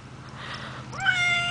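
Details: Stray cat found during a basketball game gives a single rising meow that levels off into a sustained tone. It comes after a stretch of faint background noise, and a person's voice is nearby.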